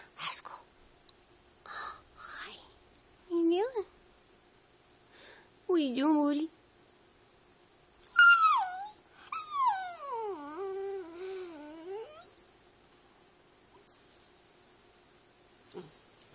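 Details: Rascal and Atom, two dog brothers on a couch, vocalize in brief rising whimpers, then a sharp high yelp and a long quavering, warbling howl-whine that bends up and down, with a high thin squeal afterward and faint voices.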